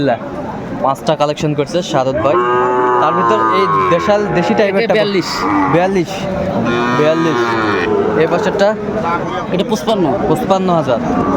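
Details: Sahiwal breed bull calves at a busy cattle market in Comilla, Bangladesh, on 13 August 2024: drawn-out harmonic moos rise and fall twice, around the second and sixth seconds, over dense crowd chatter and men's voices.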